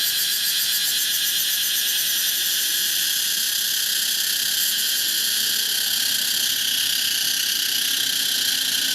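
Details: A tropical cicada, Pompania species: an intense sizzling whine sustained at one pitch, its rapid pulsing giving a grainy, vibrating quality throughout.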